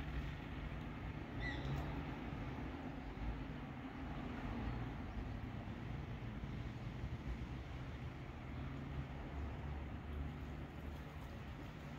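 Steady low rumble of passing traffic, with no animal calls heard.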